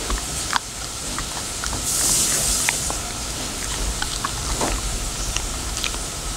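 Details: Labradoodle chewing a dental chew, given to it with a spoken offer; irregular sharp crunching clicks scattered through the moments, with a brief hiss midway and steady low background hum.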